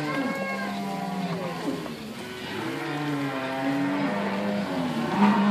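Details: Herd of cows, some thin and some in good condition, with weaning calves at Inverland and La Florida; several low, sustained moos drone together and overlap in a thick, steady lowing.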